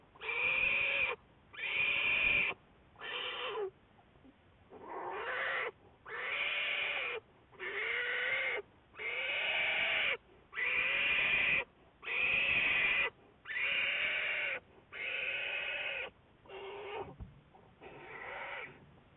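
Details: American black bear Juliet, part of Wildlife Research Institute research, February 10, 2014: a steady series of about a dozen loud, rich, wavering bleats, each roughly a second long and arching slightly in pitch, repeated at a regular pace.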